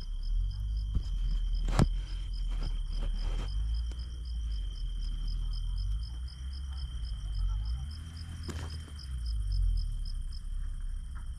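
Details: Crickets chirp in steady, high pulses, about four a second, over a low background rumble, heard in the quiet of night beside a village garden.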